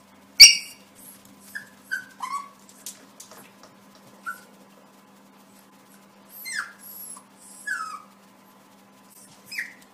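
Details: Yorkshire Terrier puppy faces its own reflection in a mirror, apparently taking it for another puppy in the room. One sharp high yelp opens, then scattered short, thin whimpering yips that slide downward, some in quick pairs, separated by silence.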